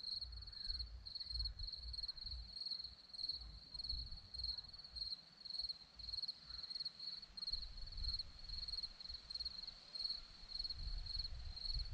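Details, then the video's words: Crickets on a Romanian hillside at Zorlesti keep up a shrill, pulsing chirp, about a hundred bursts per minute, loosely regular, with soft low rumbles of wind underneath. "Crickets sound"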